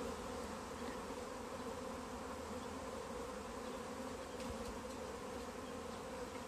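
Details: A swarm of honey bees hanging in a tree during capture into a bag hums in a thick, constant buzz with stacked low tones and faint scattered ticks.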